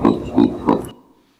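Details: Baboon call in a recording played during a lecture comparing its formants with human vowels, likened to an O or OU vowel: three short, low, rounded voiced bursts about a third of a second apart, then silence.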